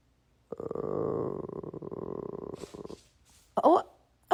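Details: Pet bulldog in the USA making a weird noise: a rough, buzzy grumble held for about two seconds, then fading, followed by a few short breathy sounds and a brief squeaky burst at the end.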